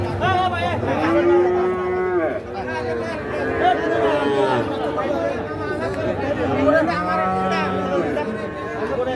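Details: Calves at the busy Ambari cattle market in Parbatipur, Dinajpur, Bangladesh, on 29 December 2023 give several overlapping drawn-out moos across nine seconds, mixed with steady human chatter and crowd noise.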